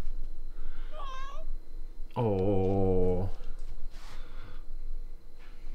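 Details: A pet cat indoors gives a short rising meow, then a long loud flat meow of about a second with strong harmonics; a person speaks softly nearby in a small room.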